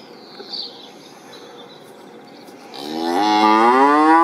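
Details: Cow mooing after a quiet stretch with a faint high chirp near the start; the long moo swells in near the end, rich and rising in pitch.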